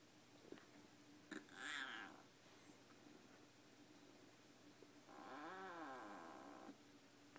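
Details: Siamese kitten giving odd vocal sounds: a brief harsh cry near two seconds, then a longer wavering, moaning yowl lasting over a second, over soft household background noise and small knocks.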